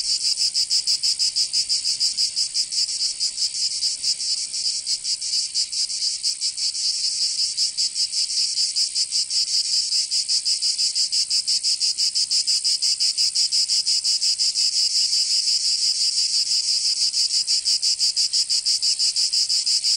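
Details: In the Provençal summer of southern France, cicadas keep up a shrill, unbroken buzzing, its rhythm pulsing quickly and a little unevenly, steady in loudness from start to finish.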